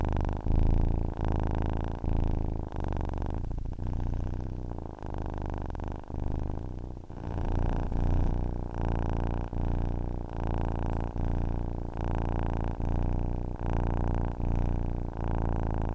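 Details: Domestic cat purring steadily, a deep rumbling drone with layered low harmonics, broken by short breath pauses roughly every second as the purr alternates with each inhale and exhale; quiet indoor background.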